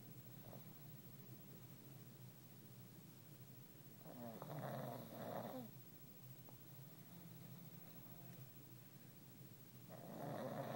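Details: A sleeping pug snoring, low steady breathing broken by two louder rasping snores about six seconds apart.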